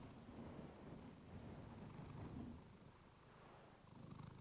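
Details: Clementine, a domestic cat, purring into a fluffy microphone to lull listeners to sleep; steady, deep, rapidly pulsing purr at about three to four beats per second, continuous through the short stretch.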